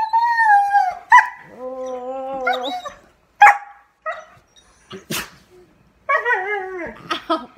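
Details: Siberian Huskies "sing", howling and yodelling in long, wavering woo tones broken by yips and grumbling whines.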